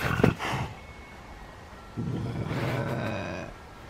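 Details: A Canada lynx named Max gives a brief low grumble, then falls quiet before a second, rougher rumbling growl of about a second and a half.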